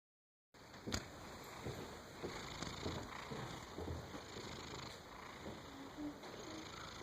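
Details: Domestic cat sleeping soundly and snoring: soft, breathy, rhythmic rasps that rise and fall with each breath at a low level, over a steady, quiet room hiss.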